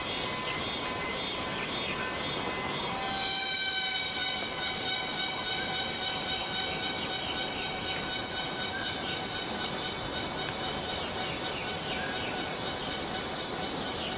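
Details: Borneo rainforest cicada whose high, even hiss gains a stack of bright whining tones about three seconds in, which waver gently and persist throughout.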